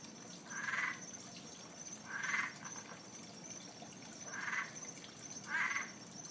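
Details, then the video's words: Unseen frog by a pond near Fort Lauderdale, calling nightly: four brief, bright croaks about one to two seconds apart, each a short burst, with a constant high insect drone and soft water noise behind. "What kind of frog is this.... By sound only"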